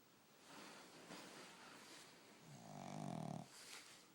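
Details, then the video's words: Dog asleep indoors and snoring loud, unable to be woken: faint scattered rustles followed by one low, grating snore of about a second, fading out into soft noise. "Dog Snoring"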